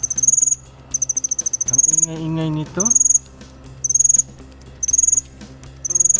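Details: A cricket gives high, rapidly pulsed chirps at a steady pace of roughly one per second, with one longer run of pulses near the start. A brief tonal, voice-like sweep cuts in midway.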